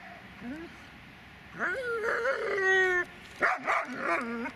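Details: Dobermann Magmar Von Der Burgstätte vocalizes in rising, yodel-like whines that swoop up and hold, then shorter wavering whimpers. A brief soft whine comes early, before the louder run.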